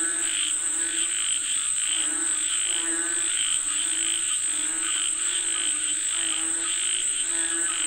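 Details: Frogs calling for rain: repeated twangy croaks rise and fall in a dense rhythmic chorus, about one and a half per second, with a faint steady high-pitched tone beneath.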